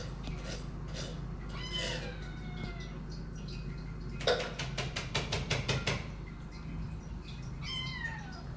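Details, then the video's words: Kittens aged eight weeks, hungry and waiting for food; a few high meows, then a rapid run of sharp clattering taps like dishes, and a last falling meow over a low hum. "They Are Screaming For Food"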